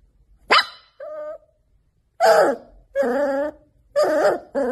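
A puppy gives high, sharp yips and short barks with brief whimpering tones between them.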